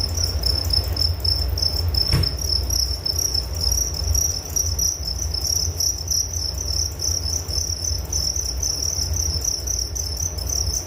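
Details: Crickets keep up a dense, steady high-pitched pulsing trill at one unchanging pitch, with a low constant rumble underneath and a single sharp click about two seconds in.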